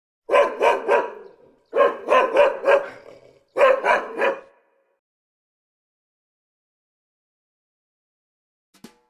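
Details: Black cocker spaniel on bath day: three quick bursts of sharp barks, each holding three to four loud yaps, then silence with one faint click near the end.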